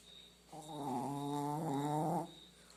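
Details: Pet dog fast asleep lets out one long snore of nearly two seconds, a low, rough, nasal drone that sounds almost human, rich in harmonics, with a faint high steady whine in the background.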